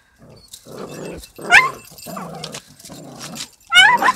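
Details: A small dog attacks a big dog in a scuffle. Rough, throaty growling comes in several snarling bursts, each about half a second long, broken by two sudden shrill yelps that waver in pitch.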